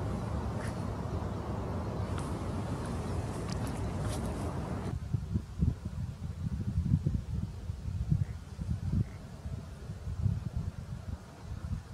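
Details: Low rumbling wind buffets the microphone outdoors in a rural setting, with no distinct animal call.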